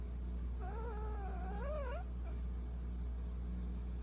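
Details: A Persian cat, one of two Persian brothers, at night gives a drawn-out, wavering meow that rises and falls over about a second and a half.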